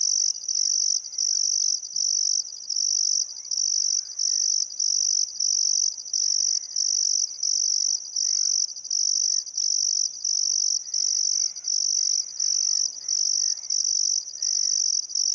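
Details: Summer sunset by the Barcoo River, Welford National Park, Queensland outback, Australia: crickets give a piercing high trill in regular bursts roughly every second and a half, while scattered faint birds chirp beneath.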